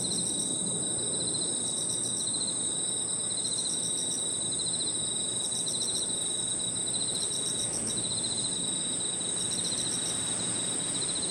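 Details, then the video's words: Evening park insect chorus of crickets and other insects, with a continuous piercing high whine and lower chirping trills that pause and resume, set against steady broadband low-pitched background noise. "Harmonious sound of crickets and other insects 저녁 공원 풀벌레 소리"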